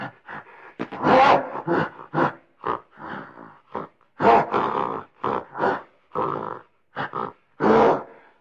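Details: A frustrated gorilla grumbles in a run of harsh, throaty grunts, loud ones mixed with brief low mutters, spaced irregularly across the stretch with no other sounds.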